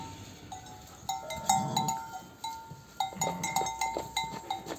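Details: Newborn lambs on their first day or two of life, during lambing season while being nursed by ewes, give several high, wavering bleats repeated every second or two, with some background noise; sheep.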